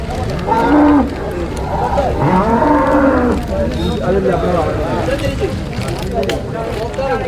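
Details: Domestic water buffalo calves are traded at the Manjeri market in Kerala, India. One calf gives a short bellow, then a longer wavering moo a second later. Traders talk loudly over a constant market din.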